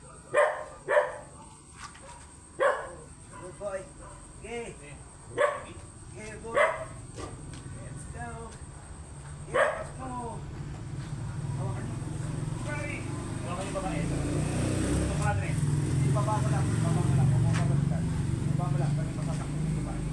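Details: Big Belgian Malinois brought for stud in San Fernando City, La Union, barks sharply and irregularly, loud single barks every second or so for about ten seconds, then rumbling background noise and faint voices take over.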